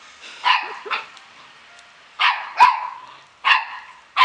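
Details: Yapping Samoyed puppies at the Klbko radosti kennel, Slovakia: pairs of short, high yips, a brief pause, then more clipped barks in quick succession.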